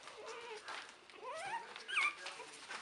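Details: Three-week-old puppies from Buttercup's 2015 litter, crowding close. They make thin, high whines that slide upward and dip, several short overlapping cries in under three seconds. A person talks softly to them in the background.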